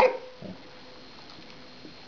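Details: A five-month-old Shih Tzu puppy in a training session barks on the command "speak": a sharp, high bark, then a softer second yip.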